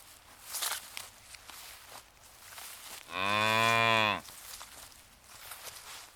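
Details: A single cow among a grazing herd in ripening rice fields makes a clear, steady, low moo of about a second midway, with rustling and soft outdoor noise before and after.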